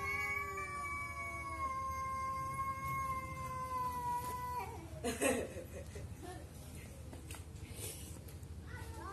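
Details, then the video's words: Cats talking to each other, a long steady yowl held for several seconds then breaking off, followed by a brief rustle and a short rising meow near the end. "CAT TALKING TO EACH OTHER"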